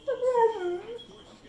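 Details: Pit Bull Zeusy vocalizing to beg for more chicken, a drawn-out, wavering howl that rises, dips lower and trails off over about a second, sounding almost like talking.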